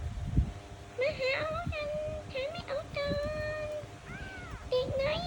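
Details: Kitten calls with several long, flat, drawn-out meows, one after another, and a final one curves up and down. A thump sounds at the very start, and a faint hum continues behind.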